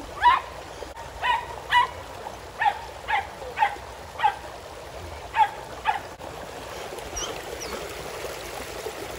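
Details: Border Collie dog playing in a pool with other dogs, among them Border Collies Junior and Zeru, a Springer Spaniel and a poodle; a string of about ten sharp, mid-pitched barks in irregular bursts over trickling water.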